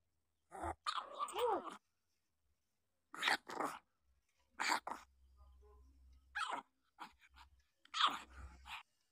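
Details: Newborn puppies, seven days old, give short harmonic whines and yelps in uneven bursts of a second or so, with pauses between, over a faint low rumble indoors.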